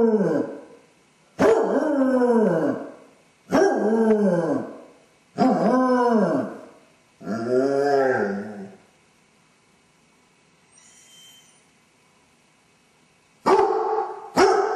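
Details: Separation anxiety in a Basset hound left on its own: a series of four arching, downward-bending howls about two seconds apart, a brief quiet gap, then howling resumes.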